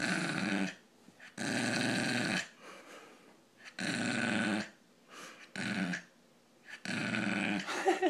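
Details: Brussels pug indoors producing a funny, rough, wheezing growl in long noisy bursts of about a second, broken by quieter gasping breaths and short snorts.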